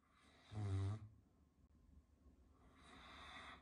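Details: A Caucasian Shepherd Dog named Kuzya, asleep, snores with one deep, rattling, low-pitched rumble, then breathes out softly.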